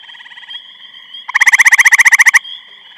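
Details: A grey treefrog calling in Eastham, Massachusetts, on 23 May 2012 gives a loud, musical trill of rapid pulses lasting about a second.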